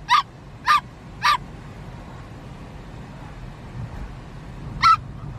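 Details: Dachshund, a sausage dog, from a compilation of naughty wiener puppies: three short sharp barks about half a second apart, then a pause and a single fourth bark, over a low steady background hum.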